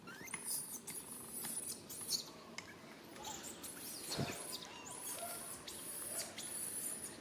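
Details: Rain, a baby monkey, calls for help from its mother Rany, who cannot help: a near-continuous run of thin, high squeaking cries with rising and falling sweeps, plus a brief low thump midway.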